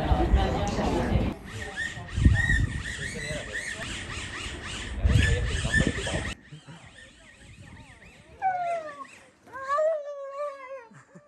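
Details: Samoyed Rio lets out a series of high, falling whines in the second half, each short and squealing, after a noisy stretch of loud voices, laughter and music.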